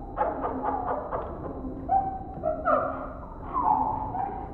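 An indri sings in loud, wailing tones that slide up and down in pitch.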